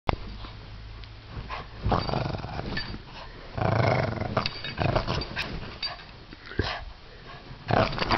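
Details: A Bugg dog growls while playing tug of war, all growl and no bite: low, rumbling, throaty growls swell and fade in uneven waves, mixed with scuffling and tugging noises.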